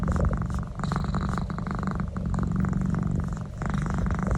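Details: Cat purring during a neck massage, a strong low rumble with two brief breath dips, under quick rubbing and scratching sounds of the hand moving through fur.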